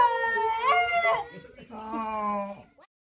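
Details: Basenji, a breed unable to bark, "conversing" with its family: a tonal, wavering yodel swooping upward then falling away, then after a short pause a lower, moaning drawn-out phrase, possibly a person's voice answering.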